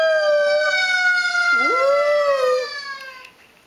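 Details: Squirt, a dog, howling at a siren: a long sustained tone with rich harmonics that slides slowly downward, joined midway by a swooping note that dips low and climbs back up, then fades after about three seconds.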